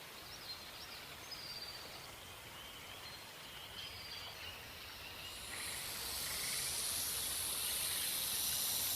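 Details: Black rat snake (Pantherophis alleghaniensis) in a threatening posture, flicking its tongue, stretching its jaw and opening its mouth wide; faint bird chirps early, then a steady airy hiss swells from about five seconds and grows louder to the end.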